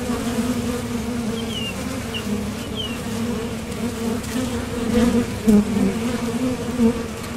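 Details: Honeybees at a top bar hive entrance, heading out to gather nectar and returning, make a steady low buzz that grows louder near the end as bees pass close; faint short chirps sound early on.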